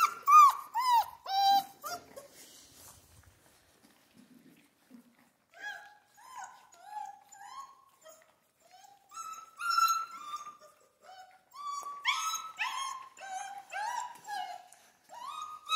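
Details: Central Asian Shepherd puppies in Michigan whimpering: thin, high whines, some sliding downward, then a string of short, steady whines in quick succession, with a quiet pause in between.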